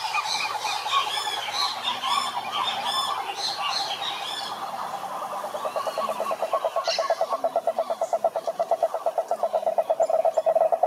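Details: Cane toads chorusing at a lake in Brazil's Atlantic Forest; harsh bird squawks dominate the first seconds, then a steady, rapid pulsed trill from the toads grows louder and more even toward the end.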